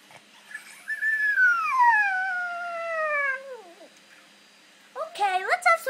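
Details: Pet pug that wants to eat its kibble, said to sound like a monkey: a long, drawn-out whine slides steadily downward for nearly three seconds, then after a pause comes a quick burst of short, rising yelps.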